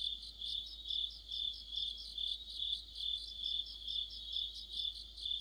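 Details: Crickets and fellow insects singing together in the depth of autumn, a continuous high trill with rhythmic pulses rising and falling roughly twice per second, no other sounds standing out.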